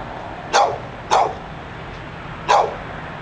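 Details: Persistent barking from a dog outside a Barnes and Noble in Pleasant Hill, California: three loud, clipped barks, the first two close together, the last after a longer gap, against a soft background hum.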